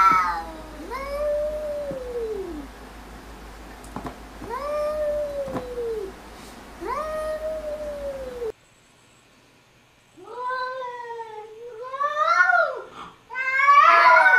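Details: Arguing cats trade three similar drawn-out meows, each arching up and then falling, about two seconds apart. After a brief silence, louder, harsher yowls overlap and climb in pitch, ending in an intense screech.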